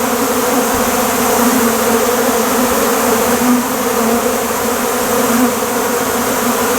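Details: A dense, steady drone of many western honey bees buzzing together at a beekeeper's site after a honey-processing job, with a low, even hum throughout.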